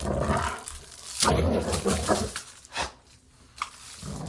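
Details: Playing dog giving a rough, roaring growl that fades after the first second, followed by brief snorts and huffs with quieter gaps.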